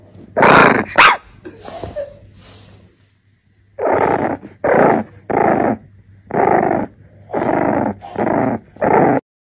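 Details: Angry French Bulldog puppy throwing a tantrum: a few harsh, noisy grumbles and yelps at first, a short pause, then seven rough, broadband barks in a steady run, one roughly every 0.7 seconds.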